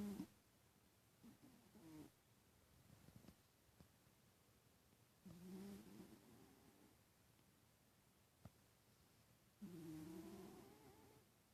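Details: Pet cat asleep and snoring, with soft droning nasal breaths that return roughly every four seconds. Each one is a low humming tone lasting about a second, separated by near silence with a faint click.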